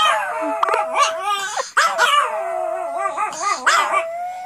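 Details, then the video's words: Several pet Pomeranian girls in a howling frenzy triggered by their owner howling; overlapping wavering howls with yips layered over a steady held tone, dense and continuous throughout. "Howling Pomeranians"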